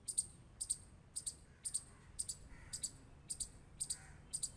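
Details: Squirrel clicking in brief, bright double clicks, about two per second, over a faint low hum.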